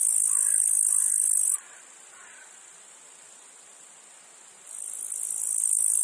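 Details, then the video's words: In a meadow field, a loud, high-pitched cicada buzz fades out sharply after a second and a half. About three seconds of faint insect hum follow before the buzz rises again. "Meadow field insects cicadas flies"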